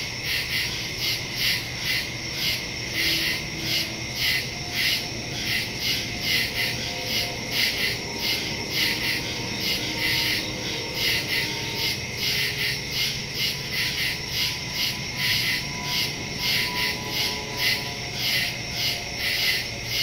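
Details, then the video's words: Crickets chirping at night in the woods, recorded September 2 on a phone with a stereo microphone: a dense, high, continuous pulsing chorus of rapid chirps throbbing roughly once a second, with no other clear sounds. "Crickets in the woods at night"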